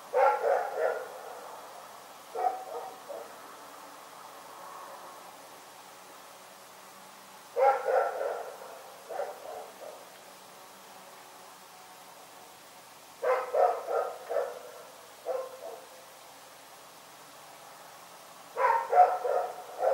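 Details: Night barking from Rex, a dog: four separate volleys of rapid, rough barks, each burst of several barks followed by some seconds of quiet, with a faint low hum underneath.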